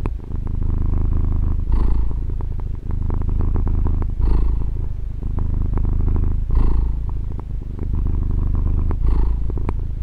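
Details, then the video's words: Domestic cat, a female pet, purring continuously indoors, recorded with a Tascam DR-40: a steady low rumbling drone with breathy surges roughly every two and a half seconds as she breathes in and out. "Fusa di Gatto ASMR | registrazione con Tascam DR-40 gatto che fa le fusa"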